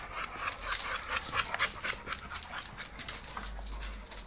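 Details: Show-quality American Bully (UKC standard) breathing in short, uneven pants, soft hissy puffs rising and falling in strength, with a faint thin high squeak or two mixed in.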